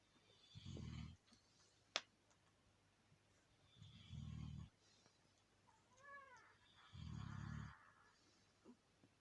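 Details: Alabai mother called Princess sleeping indoors, snoring in low, rough rumbles that last under a second and come roughly every three seconds, with a brief squeaky rising chirp and faint clicks in between.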